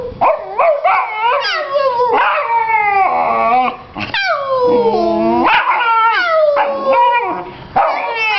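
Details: Vizsla pup, a young female, talking back at home. She gives a continuous run of yodelling howls and yowls that rise and fall in pitch, with brief breaks between the wavering cries.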